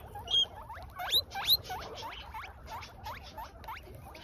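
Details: An adult guinea pig steals grass from a baby, with a rapid series of short, high, upward-sweeping squeaks, about three per second and irregularly spaced, a few louder sharp ones near the start, over soft rustling.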